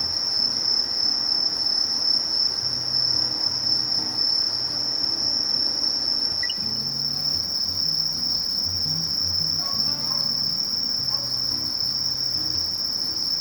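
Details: Conocephalus melaenus, the Sasakiri meadow katydid, gives a continuous shrill whine held at one pitch, with a finer stippled buzz higher up, while faint low hums come and go underneath.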